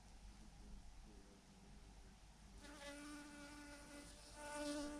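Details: Thousands of honey bees massed on a branch: a soft hum at first, then a nearby bee's bright, steady buzz sets in halfway and swells toward the end.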